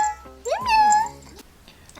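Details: Domestic cat meowing indoors in Mauritius during a podcast intro: one drawn-out tonal meow that rises quickly and then holds steady, with faint background music and room noise.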